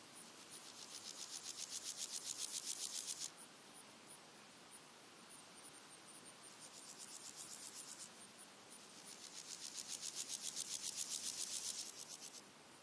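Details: Red-legged grasshoppers, three individuals, daytime singing in early August: long bouts of rapid, dry, sandpaper-like pulses that build and fade, separated by softer distant rasps over a steady high insect ticking.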